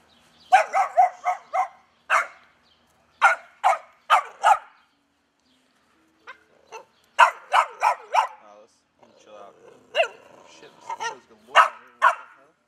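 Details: Rare albino Pit Bull, recorded with a Sony HDR-AX2000, giving repeated sharp barks in rapid bursts of three to five, roughly twenty in all, with brief pauses between and a person's voice talking to the dog.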